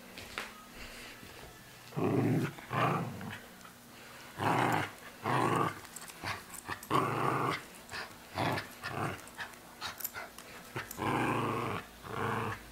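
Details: Tia, a Cairn, border and wheaten terrier mix dog, growls playfully, not aggressively, while tugging and shaking a stuffed SpongeBob toy indoors; rough, buzzy low growls come in bursts about a second long with short pauses, with some rustling between.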